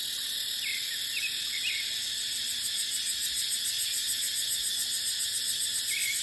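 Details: Dry-season cicada chorus in dipterocarp forest, a continuous shrill buzz with rapid rhythmic pulsing; scattered brief bird chirps break in at a few moments.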